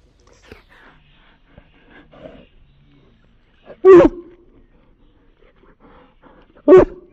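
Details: Ice, a Samoyed dog, gives two sharp, loud barks about three seconds apart after a quiet stretch with faint, murmured voices and small rustles in the background.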